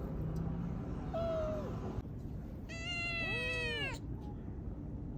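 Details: Stray cat brothers outdoors; a brief thin meow is followed by a louder, rising-then-falling plaintive meow, with constant low rumbling background noise like passing vehicles.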